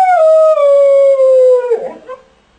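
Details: Jessie the dog howls while shut in a crate, a single loud drawn-out tone sliding slowly downward for nearly two seconds, then breaking into a short rough whimper.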